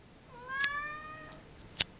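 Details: A talkative female Siamese cat gives one long, drawn-out meow with a clear, slightly rising tone, answering her owner's questions.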